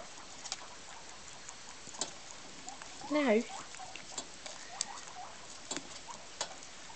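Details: Guinea pigs, a herd scrambling and fighting over a spoon of critical care: one loud wavering squeal near the middle amid rapid pattering, clicks and scuffling.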